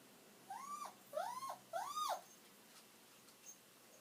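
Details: Kiri, an elderly pet dog, whimpering indoors while waiting for its owner to come home; three arched, high whining cries, each rising then falling, spaced about half a second apart, with quiet background.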